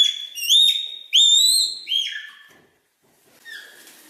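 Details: A Himalayan red panda (Ailurus fulgens) calls with high, thin whistled squeals that slide up and down in quick bursts.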